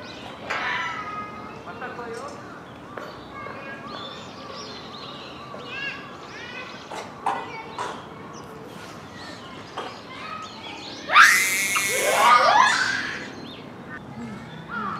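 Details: Noisy captive Japanese macaque troop at dusk, Hamura Zoo, Japan, December 2020, just before closing. Many overlapping tonal coos arch up and down. A loud, sweeping, harmonic-rich call bursts out late in the clip.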